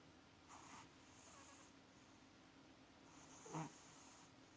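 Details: Maxi the cat snoring in sleep, having sweet dreams; two soft, breathy rasping snores about three seconds apart, the second louder and sharper, over a faint steady low hum in a quiet room.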